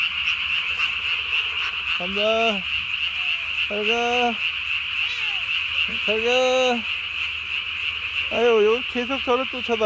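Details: Japanese tree frog calling at night on 3 May 2020, its throat vocal sac blown up nearly as big as its body; harsh harmonic bursts of rapid croaks every couple of seconds over a steady high background chorus.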